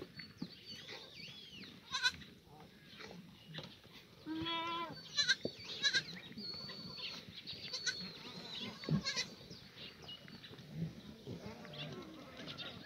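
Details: Several free-range black goats in a farm exercise yard at the foot of Muchuksan, Sangdong-myeon, Gimhae, South Korea, on a sunny Monday morning, 24 June 2019. Overlapping wavering, harmonic bleats rise above a constant hiss of background noise and chatter.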